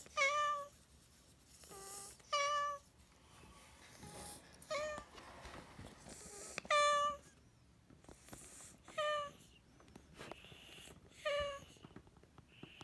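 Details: Senior odd-eyed white rescue cat from Tochigi, indoors among other cats, meows repeatedly: about seven short, bright, bending meows spaced roughly every one to two seconds, with faint household rustling between them.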